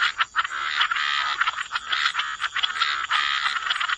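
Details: Frogs croaking together by the waterside in a wetland, a dense overlapping chorus of raspy, pulsed croaks with brief dips between bursts; a steady high insect-like hiss runs underneath throughout.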